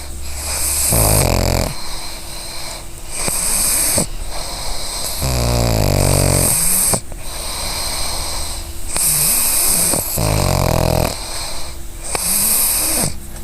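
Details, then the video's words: Sleeping pug dreaming, snoring in a slow rhythm of long rasping breaths roughly every two to three seconds, some with a nasal whistle, low steady hum behind. "Pug Dreaming Snoring"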